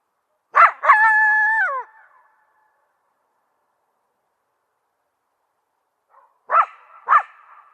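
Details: A coyote barks sharply, then holds a brief level howl that drops at the end. After a long silence come two more barks with a ringing echo.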